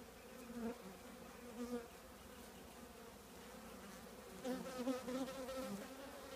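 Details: Honey bees from a colony housed in an old trash can, a constant drone rising in loudness in short surges when single bees fly near, most strongly near the end.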